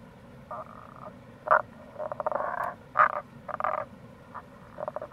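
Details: Tago's brown frogs (Rana tagoi) near a gorge on the Kamo River, Itoshima, Fukuoka, Japan, in April, mixing grating pulsed trains about half a second long with sharp short croaks, overlapping callers, steady low rushing sound underneath.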